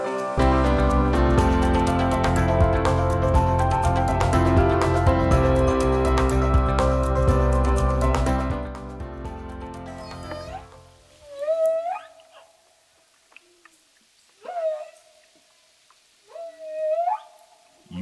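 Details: After a stretch of music, humpback whales singing off the coast of Costa Rica, recorded by a researcher, give moaning song units that sweep sharply upward.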